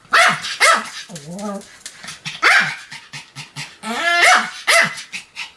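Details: Pomeranian named Sam, a pet dog, barking continuously: high, sharp yaps, some rising then falling in pitch, roughly one every half second, mixed with shorter yips and quick panting breaths.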